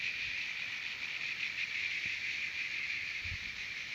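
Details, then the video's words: Cicadas singing at Terek-Sai in Kyrgyzstan's Jalal-Abad region, a steady shrill buzz that holds at an even loudness and wavers slightly in a fast throb, with a low thump near the end. "Певчие Цикады"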